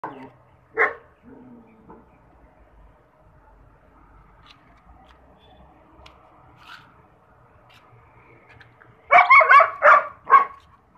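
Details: A German Shepherd barks at a monkey, letting out a quick run of loud, deep barks near the end.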